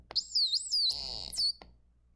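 A dolphin gives a few high, sweeping whistles that bend up and down in pitch.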